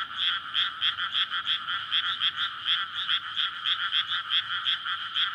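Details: Many frogs chorusing after dark in a water-filled paddy in May, a courtship chorus before spawning near a road and houses; harsh grating croaks pulse about three times a second, unevenly overlapping, filling the scene.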